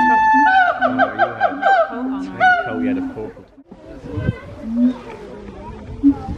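A siamang gives a morning wake-up call of loud, hooting notes that rise in quick, repeated sweeps.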